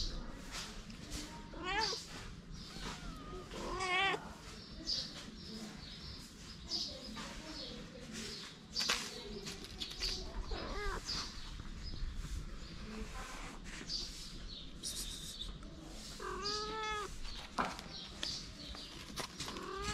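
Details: Homeless street kittens, hungry and playing next to their mother, let out a few short wavering mews, one early and one late, amid rustling, handling noise and quiet human voices.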